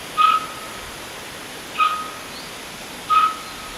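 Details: A young roe deer calls out for its mother, which is feeding a little way off: three brief, bright whistled peeps spaced about 1.5 seconds apart over a quiet, hissy outdoor background.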